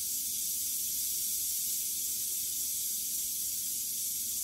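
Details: Western diamondback rattlesnake as it kills a mouse almost instantly; a steady, high-pitched hissing buzz runs unbroken through the whole stretch, with no other clear sounds.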